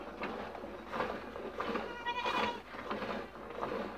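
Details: Neca and the young female Marcela, dairy goats in their first days of milking, give short quavering bleats with stacked harmonics, the strongest near the middle, over a constant rhythmic rasping background.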